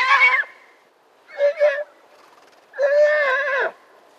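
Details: Konik stallions, semi-wild grazers in the Blauwe Kamer nature reserve along the Rhine, Netherlands, squeal at each other fighting over a mare: three shrill, strained squeals, each under a second, with gaps of about a second between them.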